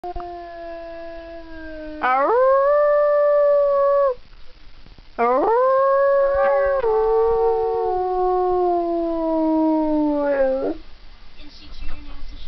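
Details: Siberian husky howling: two long, smooth, tonal howls. The first rises sharply and holds steady for about two seconds. The second is longer, about five seconds, and wavers slightly before fading off.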